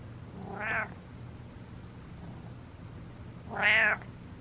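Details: Domestic cat meowing indoors: two loud, drawn-out harmonic meows about three seconds apart, each rising then falling within half a second, over a steady low hum.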